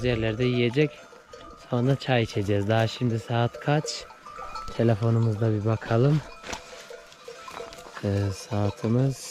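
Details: Weaned Akkaraman lambs cry out for their mothers after separation, a flock of voices giving repeated quavering bleats, some drawn out, others clipped, with a faint bell and people talking in the background.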